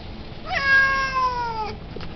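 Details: A talkative Siamese cat gives one long, nasal meow that slowly falls in pitch, apparently wanting to go out to play.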